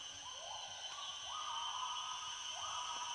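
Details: Wild gibbons call from far away in an Indonesian forest, each note a quick upward swoop that levels off, repeated in a loose series, over a constant high-pitched insect hum.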